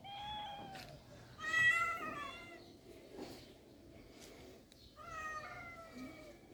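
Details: Cats in rural life giving a few drawn-out meows, the middle one louder and slightly falling, separated by quiet pauses with faint background rustle.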